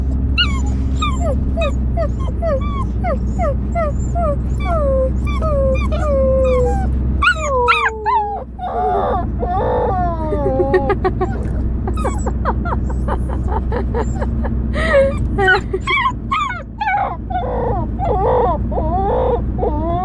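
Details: Pet Siberian Husky howls indoors: a string of short, bending whine-howls, then a louder rising and falling howl phrase broken into rapid yips and yelps, with whimpering and fast stuttering notes toward the end, over a constant low hum.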